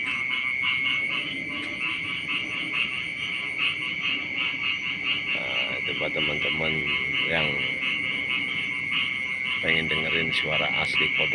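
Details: Frogs calling in the morning beside rice fields: a dense chorus of rapid pulsed notes over a steady high whine, with bursts of lower harmonic calls around six and ten seconds.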